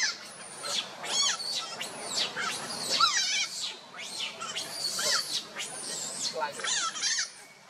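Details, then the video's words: Young monkey Luno calling father Tum to lift him, sister Lucie coming to comfort: a run of high, quavering squeals and thin whistled cries, some sliding downward, close together amid faint background rustle. "baby monkey Luno trying call father Tum to pick him up"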